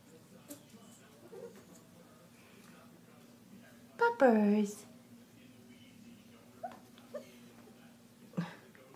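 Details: Four-week-old Standard Poodle puppy from a litter of boys born July 26, 2016, indoors around 10 at night: one loud, brief descending whine with rich harmonics midway, framed by quiet room hum and a few soft clicks.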